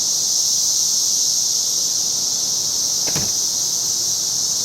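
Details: Periodical cicadas of the 17-year brood, emerging in a backyard in 2007, drone in a dense, steady, high-pitched chorus that continues all day for weeks.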